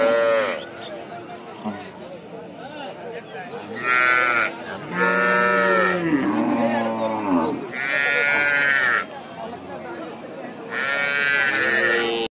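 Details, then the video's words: Young calf giving a run of bleating moos, some short and some drawn out, wavering up and down in pitch, with brief quiet gaps and a faint background murmur between cries. "MOST FUNNY AND CUTE BABY COW VIDEO"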